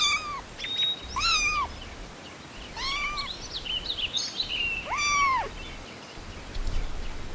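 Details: Kittens outdoors on grass while stalking and chasing butterflies, giving high, arching meows with a rise and fall, about four spread over several seconds, with fainter chirpy cries in between and a soft outdoor background.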